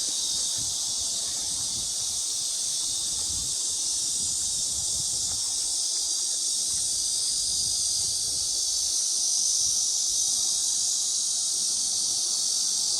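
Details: Cicadas singing on a summer afternoon, 2 August 2021 around 1 pm, at the Mujinjeong pavilion near a pond on a fine day: an unbroken, hissing high-pitched buzz that holds steady throughout and swells slightly near the end.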